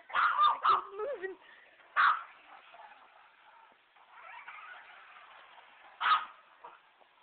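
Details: A dog that hates a remote control truck lets out a quick cluster of barks and a whining, wavering sound, then single loud barks spaced several seconds apart over low background voices.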